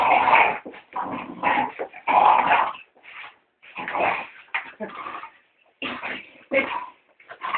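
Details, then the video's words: Lola the Staffordshire terrier plays at attacking cleaning items while the housework is done. Irregular whimpering growls and yelps rise and fall in bursts, each lasting under a second and separated by short gaps. "Dog Attack of The Killer House brush"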